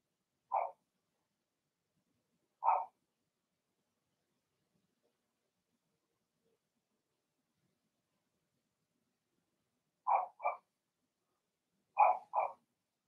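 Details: Remy's litter of six Blenheim Cavalier King Charles Spaniel puppies, two girls and four boys, in their puppy pen. Sharp, high puppy barks come singly, then in quick pairs, separated by long silent gaps.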